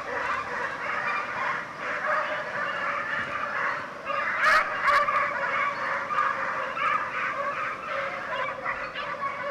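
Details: Pack of Segugio Italiano hounds, European champions in 2004, baying while hunting hare; a dense chorus of overlapping, honking voices carries on continuously from a distance, with a couple of sharp clicks near the middle.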